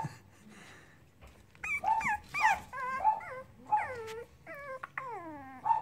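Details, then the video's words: Playing Cavalier King Charles Spaniel puppies let out a run of high whining whimpers and yips, several sliding downward in pitch, packed closely over a few seconds of lively play indoors. "Cavalier puppies playing"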